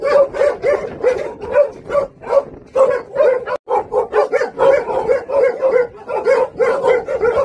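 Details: Steady, rhythmic barking from the Jindo brothers known as Song Baekgu, kept at a local Jindo kennel: bright, punchy yelps repeating roughly every half second, with one abrupt cut midway.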